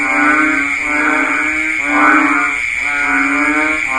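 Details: Banded bullfrogs calling in the rainy season: deep, nasal, bleating moo-like notes about a second long, overlapping one another in a dense chorus, over a steady high-pitched drone in the background.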